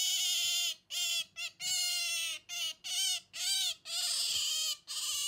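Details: A female Asian small-clawed otter (Aonyx cinereus) gives about nine shrill, squeaky protest whines in quick succession, each bending slightly in pitch, refusing to give up a stuffed toy.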